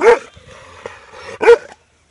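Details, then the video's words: Loud bark from a big dog, two sharp, punchy barks just over a second apart, with a quiet pause between and little background noise. "Big Dog Barking Loud"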